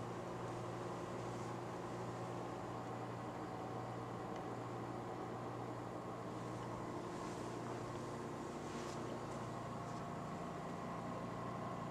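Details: Steady low mechanical drone, like an engine or fan, runs throughout with no animal calls.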